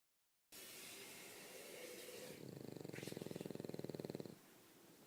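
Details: Umekichi, a pet dog worn out and fast asleep, snores in a rapid pulsed rasp that swells for about two seconds before cutting off, then quiet room hiss.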